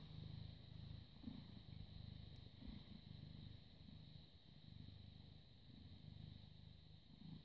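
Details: A British Shorthair cat, cuddly and loved, born 18 August 2010, filmed purring on 30 August 2017 at 09:51; continuous low rumbling purr in regular breath-like cycles with a faint steady hum underneath.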